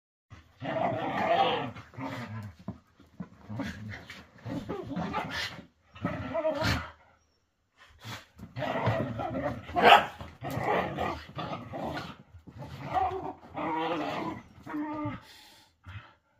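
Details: Whippets play fighting indoors, sounding as if they are really fighting. Rough rumbling growls and snarls come in bursts of one to two seconds, with short quiet gaps and one sharp yelp in the middle.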